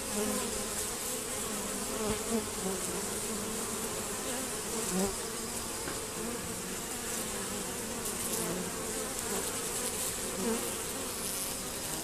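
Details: Honey bees crowd a reduced, screened hive entrance during robbing. A constant, layered buzz of many wings, with a few louder close flybys rising briefly above the steady drone.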